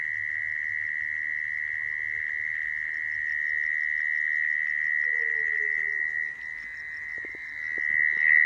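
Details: A mole cricket, whose call is used to trap crickets, gives a steady, unbroken high-pitched trill that hums on without pause.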